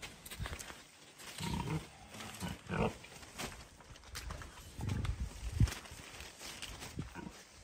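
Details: King Karl, a rescue pig living at a sanctuary in upstate New York, plays with a tunnel he cannot fit into. Several deep, short grunts rise from low rumbling, with scattered chewing and clattering between them.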